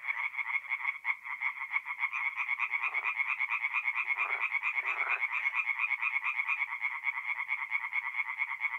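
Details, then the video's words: In mid-April at a North-East Italian forest pond, tree frogs sing after dark: an unbroken, rapid, rhythmic croaking chorus, joined briefly by a few lower buzzing trills near the middle. "relaxing forest pond by night with singing tree frogs"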